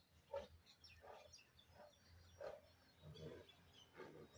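A Bengal tiger gives a run of short, harsh, throaty roaring grunts, one about every second.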